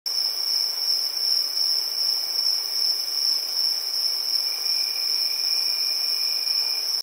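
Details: Crickets at night in a village: an unbroken, very high-pitched shrill trilling drone holding steady throughout, with a fainter lower whine beneath and no other sounds.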